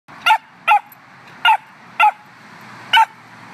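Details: A little puppy barking indoors: five sharp, high yapping barks, each brief and bright, spaced roughly half a second to a second apart over a quiet background hiss.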